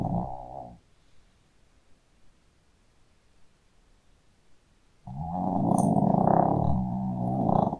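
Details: Sleeping Shih Tzu dog snoring loudly: a short rough rumbling burst at the start, a quiet pause of about four seconds, then a long harsh, throaty snore lasting nearly three seconds with a rattling, growl-like texture.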